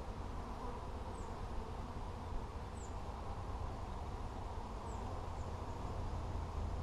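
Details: Steady low droning of honey bees while hive frames are inspected on 17 July 2020; a continuous rough hum fills the recording, with a few faint, thin high chirps of distant birds.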